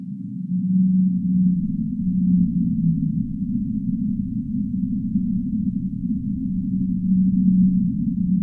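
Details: Singing humpback whale, low drawn-out moaning notes held level then dipping slightly, several in a row early on and another returning near the end, set against a dense, steady low underwater rumble.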